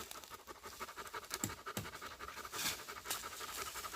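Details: Dog panting on a woodland walk in the mountains of South Korea, where a husky tracked a pregnant deer while a Labrador retriever stayed with the walkers; faint, soft breathy rasps amid rustling and scattered ticks.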